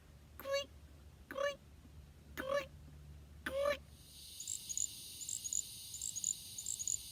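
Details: A little grass frog, possibly North America's smallest true frog, calling at night from grass in marshy wet meadows of the southeastern US, gives very high, thin, tinkling, insect-like short trills after a few spoken syllables.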